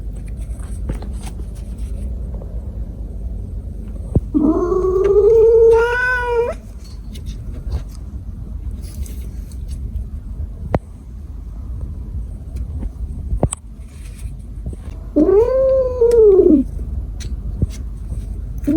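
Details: Cat giving two long, drawn-out wailing cries, each about two seconds, rising then falling in a bent arc with strong harmonics, separated by a long quiet gap with faint clicks and knocks.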